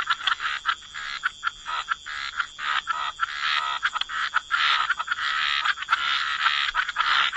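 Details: Croaking frogs beside water, giving short rasping croaks in quick uneven bursts, about two or three each second, some louder calls standing out against a thin steady high tone.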